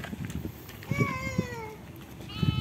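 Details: Goat wading into mud as if hunting for fish gives a drawn-out, falling, wavering bleat lasting under a second, while people talk and laugh close by.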